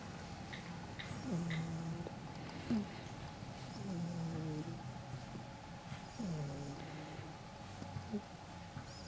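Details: Pit Bull puppy snoring while asleep: repeated low, rough snores with short drawn-out nasal whines between them, over a steady indoor hum and a faint high-pitched hiss.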